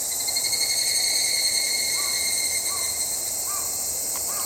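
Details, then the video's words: Evening cicada (Tanna japonensis) producing a steady, high, ringing shrill throughout, overlaid by several short, mid-pitched chirping notes from another caller. "ヒグラシの鳴き声-Evening cicada shrilling"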